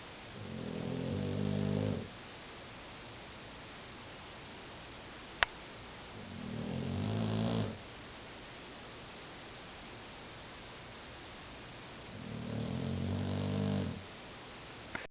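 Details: Sleeping foster dog, about two years old, 50 lb, thought to be a Boxer/Bulldog mix, snoring: three low, rumbling, buzzy snores of about two seconds each, roughly every five to six seconds, over a steady background hiss.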